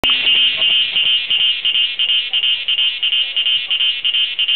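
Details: Cicada singing in front of a house at Doi Inthanon, dated 24.6.2510. It makes a loud, high, steady buzz pulsing rapidly in even beats, about three per second, with faint lower clicks underneath.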